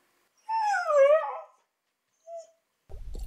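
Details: Lihkku, a female Siberian Husky born in Sweden, out on a fishing trip and hunting voles, gives a drawn-out wavering howl-like whine, sliding down then lifting, about one second long, followed by a brief short note and then rustling.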